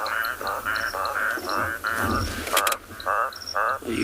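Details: A toad calling close to a vehicle on a night drive at Tswalu Kalahari Reserve, South Africa; short, harsh, pulsed croaks repeat about twice a second, with a faint chirping chorus behind.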